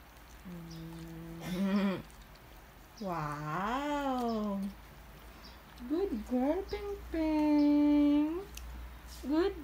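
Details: Female Border Collie named Ping Ping vocalizing indoors at medicine time: long, tonal, whine-like howls that rise and fall, each lasting about a second, in four separated bursts, with a woman praising her between them.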